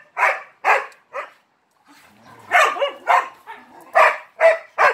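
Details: One dog plays with three Malinois and barks for attention; three sharp barks, a brief quiet gap with soft sounds, then a run of loud barks close together.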